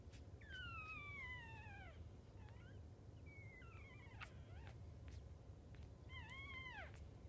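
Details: Newborn Jack Russell Chihuahua mix puppies, five in a litter, with their mother indoors: three drawn-out, harmonic squealing whines falling in pitch, each about a second and a half, over steady low background hum.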